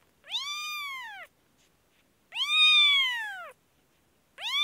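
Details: Kashmir kitten suffering an infection meows plaintively, two full arched cries about a second long each and the start of a third, separated by silent gaps.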